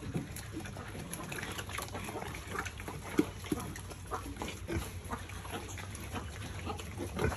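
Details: Piglets raised on a family pig farm feeding together: dense crunchy chewing clicks and snuffling with a few soft grunts scattered through, over a steady low mechanical hum.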